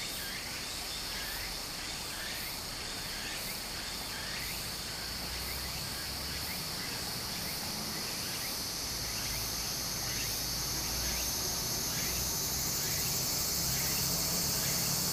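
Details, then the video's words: Japanese summer cicadas beside a flowing creek: an unbroken, sizzling high drone that swells a little toward the end, over steady babbling water and a series of faint rhythmic chirps. "小川の流れと蝉の声 自然音 ～夏～ Japan Sound of nature Cicada's voice"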